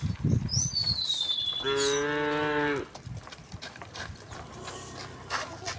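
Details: Tame cows in a large herd walking along a path toward a green hill; one steady moo of about a second after scuffling footsteps, with a descending whistled bird note early and faint clatter afterward.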